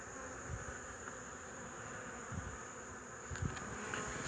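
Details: A continuous buzzing drone from honey bees, recorded on 8 March 2015, stays even in loudness, with a thin steady high tone above it and a few faint taps.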